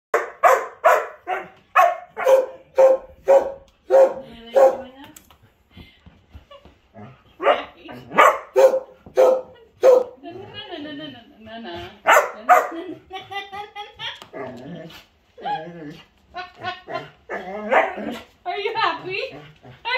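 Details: Old English Sheepdog named Daisy, wearing a hat and dancing, gives a rapid run of about ten sharp barks over five seconds, then human voices mingle with further bursts of barking.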